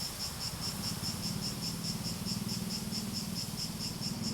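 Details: Rhythmic insect chorus credited to cicadas, a bright high-pitched pulsing buzz repeating quickly and evenly, with a low humming layer underneath.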